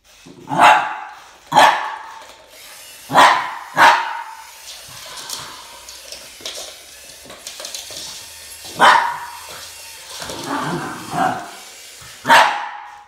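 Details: Max, a Boston Terrier, barking at a snake: loud sharp barks spaced one to three seconds apart, with softer yips between, over a constant background hiss.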